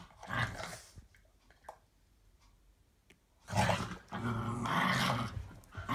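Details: Two pet dogs, a seven-year-old Patterjack named Roxie and an eight-month-old Staffordshire bull terrier pup named Daisy, playing tug of war; loud rough growls in two bursts, a short one at the start and a longer sustained one after a quiet gap with faint clicks.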